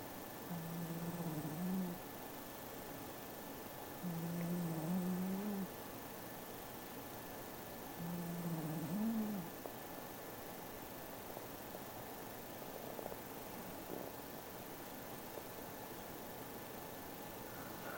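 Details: Kin-chan the house cat asleep and snoring: three low, droning snores about four seconds apart, each rising slightly at the end, then quiet breathing with background hiss and a thin steady tone.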